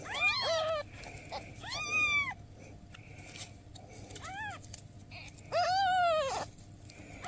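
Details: Mother cat asking for help beside her newborn kittens: four loud, drawn-out meows, each rising then falling, the last long and wavering, separated by quieter gaps with faint background hum.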